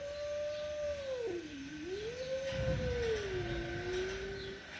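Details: Angry confrontation between a mother cat and her kitten, one cat giving a sustained tonal yowl that dips low, swells back up, then sags again, unbroken for nearly five seconds over faint background rumble.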